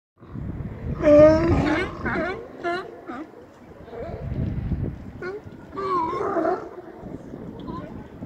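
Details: Sea lions hauled out in numbers across the docks of Astoria, Oregon, giving harsh, harmonic barks in bursts, a loud one near one second and more around six seconds, with low rumbling between calls.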